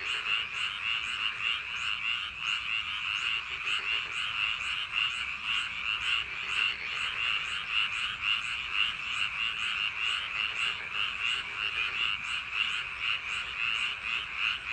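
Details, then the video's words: A long stretch of paddy field frog chorus on a summer night: countless overlapping croaks form a steady rattling wall of sound, with rhythmic louder pulses throughout. "여름밤 논두렁개구리소리"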